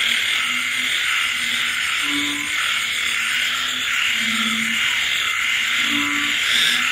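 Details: Frogs and insects calling late on a rainy night in the countryside: short low croaks of about half a second repeat every second or so, over a steady, dense high-pitched insect trill and the hiss of rain.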